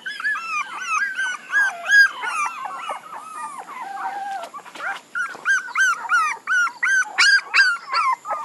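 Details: A litter of puppies cries in wavering, drawn-out whines that give way to quick, bright yelps repeated about three times a second, several voices overlapping, with one lower, longer moan in the middle.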